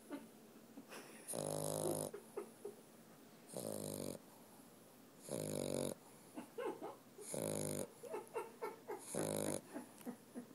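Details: Snoring dog named Walter, asleep: five harsh, rattling inhaled snores, repeated roughly every two seconds, with soft clicks and wheezy breaths in the gaps.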